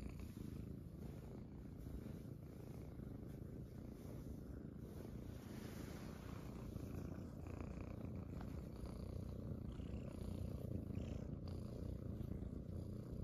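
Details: Morning purring from Munchkin kittens gathered on their owner's stomach: a dense low vibration with a fast pulsing rhythm of about three beats per second, unbroken for the whole stretch, with slight rustles of movement.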